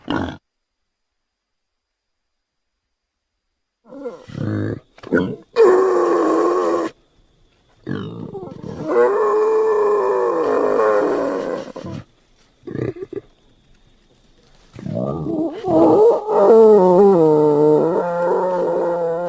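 A Celebes warty pig vocalises in irregular bouts of rough, throaty grunts. Longer wavering squeals and moaning notes follow, each lasting a second or two, with brief silent gaps between them.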